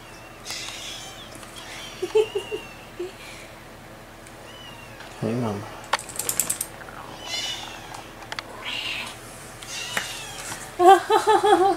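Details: Three 4.5-week-old barn kittens in a farm shed. Scattered short mews come in small bursts: a few near the start, a rising-falling cry midway, then a rapid string of mews at the end. Quail calls and shuffling noises sound in between.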